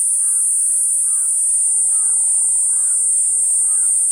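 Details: Platypleura kuroiwae cicada droning with an intense high-pitched buzz, while a lower double-noted call repeats roughly every second in the background.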